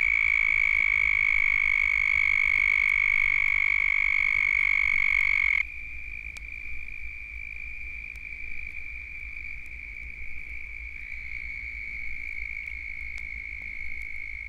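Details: A large breeding chorus of Southern Toads (Anaxyrus terrestris), Florida's most common toad, gives many high, buzzy trills that overlap into a continuous ringing drone.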